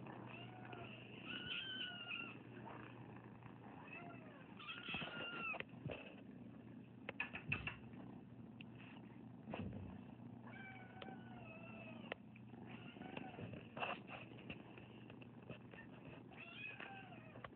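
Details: A large group of rescued foster kittens dumped on a property in Anza, meowing repeatedly with thin, rising-and-falling mews scattered through the clip over a steady low hum and occasional clatter.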